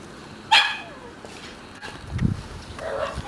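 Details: A red male Shiba Inu puppy gives one short, sharp, high yip, then a low thump and a fainter rising whine near the end over steady background hiss.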